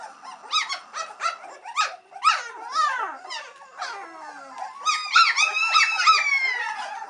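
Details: Three-week-old White Swiss Shepherd puppies, impatient while waiting for their mother Cova to return and feed them, give a busy chorus of high squeaky whines and yelps, overlapping, with rising and falling wavering cries.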